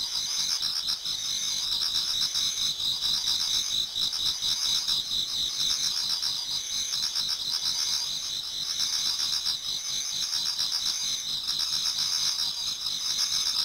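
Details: Autumn insect chorus in a Japanese garden near dawn, many singers at once: bright high-pitched trilling in stacked bands, rapid pulsing chirps running steadily throughout with slight swells in loudness.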